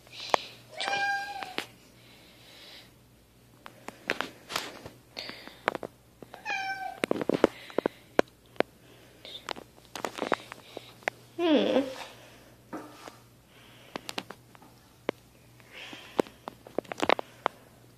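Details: Kittens meowing indoors: several short, high mews with clear harmonic stacks near the start, around seven seconds and around twelve seconds, mixed with sharp clicks and handling knocks and a faint low hum throughout.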